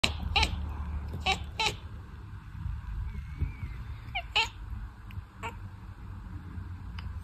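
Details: Russian Blue cat chattering after a fly disturbs its nap: short clipped chirps in quick bursts, about three near the start and more around four to five and a half seconds, over low room hum.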